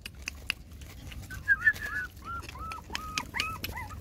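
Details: While mama dog GiGi nurses her six puppies indoors, thin rising-and-falling whines repeat in quick succession, a couple of louder squeals standing out. Scattered clicks and shuffling sounds are heard.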